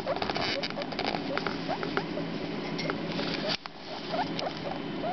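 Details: Four-day-old baby guinea pigs, a male and a female, give short upward-sweeping squeaky chirps repeated irregularly, over a background of rustling and shuffling movement.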